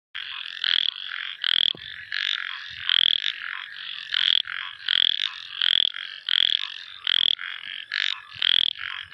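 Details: A small frog calls at night with high, buzzy chirps, repeated in quick bursts.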